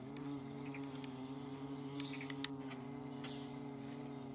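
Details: Flying paper wasps give a continuous low buzzing drone that wobbles gently in pitch, layered humming tones, while brief high bird chirps and clicks sound faintly behind.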